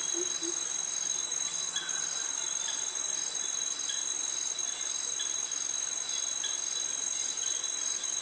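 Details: Cicadas in tropical jungle near mangroves at Krabi, Thailand, joined by crickets: a steady, piercing high-pitched drone holds unbroken throughout, with a fainter second tone beneath it and scattered soft chirps.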